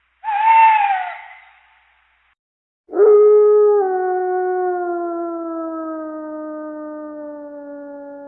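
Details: Siberian forest wolf howl: a short, loud, falling note, a pause, then one long, rich howl that starts sharply and slowly glides downward for over five seconds.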